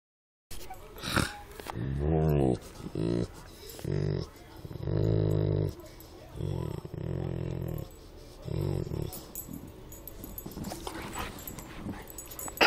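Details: An ornery Rottweiler gives a run of deep, rumbling growls in short, grumbling bursts.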